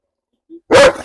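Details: Single forceful bark from a German Shepherd being provoked in a dog challenge at a home in Perumbavoor, Kerala. A brief soft note comes first, then a loud, broad-band bark with a short tail.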